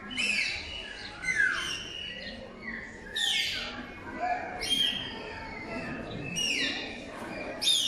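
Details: Bottlenose dolphin family at Zoomarine, Albufeira, Algarve, Portugal, presented in a show, giving high, swooping whistles that slide down and up in quick bursts.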